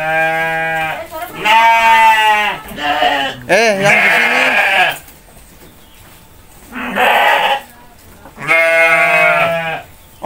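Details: Goats fed by a child and mother call out in long wavering bleats, with a brief rising vocal glide midway and a gap before two more loud bleats.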